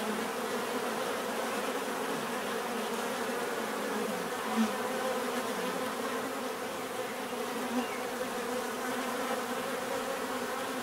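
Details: Continuous hum of many bees, an even, unbroken drone with stacked harmonic bands and a faint hiss above, almost no change in loudness from start to end.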